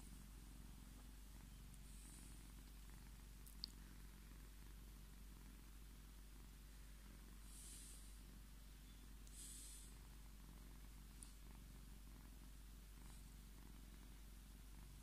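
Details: Purring pet Scottish Fold tomcat asking for strokes: continuous deep, evenly pulsing rumble for the whole stretch, with occasional faint rustling and small clicks from handling.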